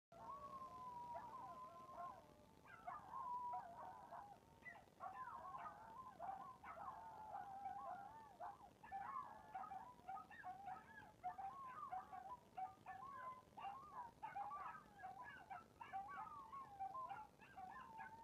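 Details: Chihuahua giving a thin, wavering whine-like howl that holds a steady pitch, then breaks into rapid quavering yelps and warbles that continue to the end; quiet recording with no other clear sounds.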